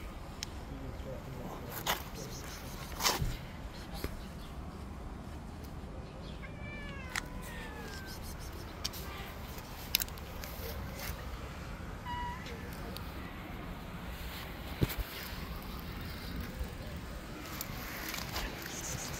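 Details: A white street cat slaps other cats that approach her. One short harmonic meow with a falling tail comes at about seven seconds. Another brief call follows near twelve seconds, over steady low rumble and scattered clicks.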